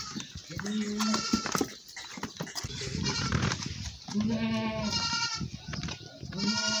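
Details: Village goats during milking: three wavering, nasal bleats at about one, four to five and six and a half seconds, each held briefly, with rustling and handling noise between calls.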